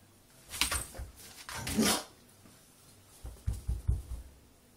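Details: Dave the beagle, a pet dog scared of a lemon hand, indoors: two loud broadband bark-like outbursts in the first two seconds, then a quiet gap and a cluster of low, short huffing grunts near the end.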